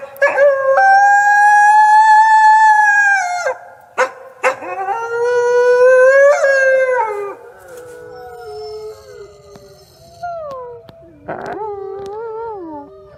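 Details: Wolf howling: long steady tones held for about three seconds each, with slight rises at the ends, followed by softer, wavering, falling howls from more than one animal and a final short rising howl.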